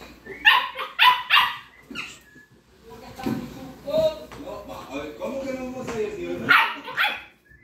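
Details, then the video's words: A lively bunch of American Pit Bull Terrier puppies gives bursts of short, high-pitched yips, three at the start and two near the end, with a person talking in Spanish between them. "Pitbull Puppies: Lively Bunch"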